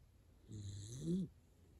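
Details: Dachshund sleeping soundly and snoring loudly: one low, rumbling snore lasting under a second, rising slightly in pitch at its end, with a faint hiss above it in a quiet room.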